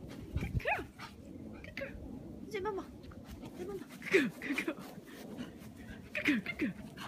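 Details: Shih Tzu playing a chasing game, giving short, high, falling whines at about four and six seconds amid scuffling and movement noise, with people speaking quietly in the background.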